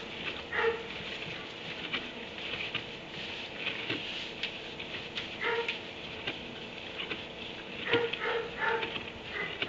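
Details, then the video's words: A kennelled dog in a barn at 3am gives muffled barks near the start, mid-way and around eight seconds, with a faint whimpering edge between them. Steady patter and clicking noise run underneath throughout. "Barn 3am barking dog in kennel"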